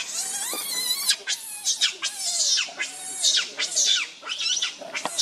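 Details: Monkey Rainbow screams in anger to protect Lucie from Kachoy: a continuous string of harsh, very high, arching screams, each under a second long and coming almost back to back, with lower wavering squeals beneath.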